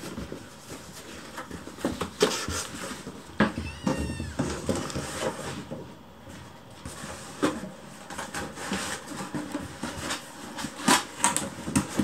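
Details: Several hungry rescued kittens surround their keeper during food preparation, urging the meal on; a wavering, stepped mew near four seconds stands out over repeated clicks, rustling and kitchen clatter.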